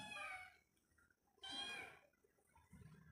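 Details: Pet cat near its owner, two loud high-pitched meows about a second apart, each bright and harmonic-rich, with a softer low sound near the end and a quiet room between calls.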